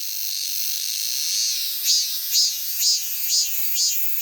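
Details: Shrill steady buzzing of a cicada that swells, then breaks into regular pulsed throbs about twice per second over the unbroken high-pitched drone.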